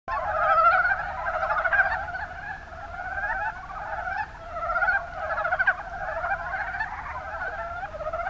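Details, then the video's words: A chorus of Japanese mountain brown frogs (Rana ornativentris) in the Kuma Basin, Kumamoto, Japan, gives soft, rapid chuckling calls that overlap continuously. "ヤマアカガエルの鳴き声"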